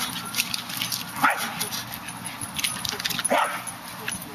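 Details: Two short, sharp yipping barks about two seconds apart come from a Westie straining toward a squirrel in a tree, with a constant noisy backdrop throughout.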